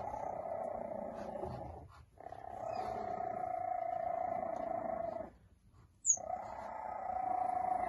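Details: Purring from three-week-old cheetah cubs in a litter of five on hay: long unbroken rumbling stretches separated by two short silent gaps. One faint high chirp sounds near the end.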